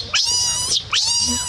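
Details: A baby monkey screams: two piercing, high harmonic shrieks, each rising sharply, held briefly and then falling, with a short break between them.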